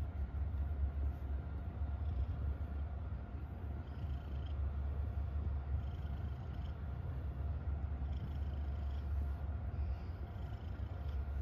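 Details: A domestic cat, happy, purrs in a deep steady rumble with rapid pulsing, quite uniform throughout, and faint soft higher rustles scattered along it.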